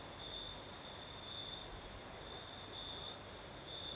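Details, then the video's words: Crickets chirping through a Crimean night with a sea breeze, high thin trilling in longer and shorter bursts, backed by a constant soft roar of moving air. "Сверчки поют"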